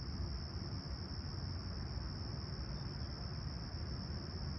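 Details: Crickets chirping at a clear, calm summer sunrise in Toronto's Humber Bay Shores, 28 July 2020, about 20ºC: a steady, unbroken high-pitched trill runs throughout beneath a heavy low rumble of distant traffic.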